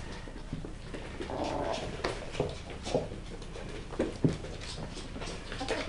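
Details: West Highland White Terrier puppies at play, a drawn-out rumbling growl giving way to a few short, sharp yips and whimpers, with soft scuffling and pattering throughout.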